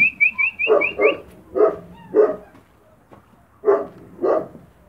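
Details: Spanish Mastiff puppies from the Vegas Altas del Guadiana, Spain, eating kibble: short, rough yaps in scattered bursts, some paired, about six in five seconds, with a quick run of high rising bird chirps at the start.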